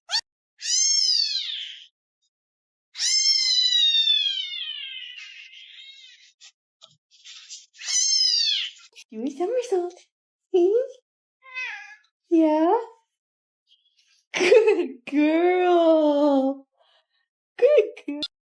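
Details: Domestic cat Jessie, a female pet indoors, gives loud drawn-out meows, the first short, the next long and falling away, then another short one, before a woman speaks to her over shorter cries.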